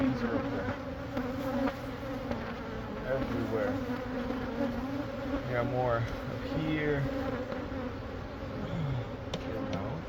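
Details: Honey bees from a wall hive at a Catholic church near a school in Monrovia, being taken out by a beekeeper. A steady swarm drone runs under intermittent male speech.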